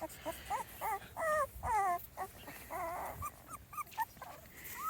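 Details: Small Munsterlander puppies at 2.5 weeks old, outside for the first time: soft, fairly quiet whimpers, some drawn out and wavering, others short upward squeaks, about two each second over a hissy background.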